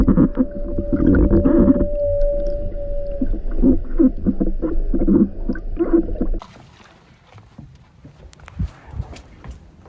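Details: Humpback whales on summer feeding grounds in Alaska, North Pacific, where they surface-skim krill and bubble-net feed on herring, give underwater low groans, pulsed moans and a sustained tonal wail over boat rumble, then stop, leaving faint water noise and clicks.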